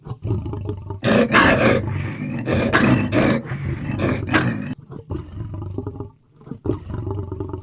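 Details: Lion on the African savannah giving powerful roars: a loud, harsh, broadband burst from about one to nearly five seconds, preceded and followed by quieter low grunts and mutterings, with a steady low hum beneath.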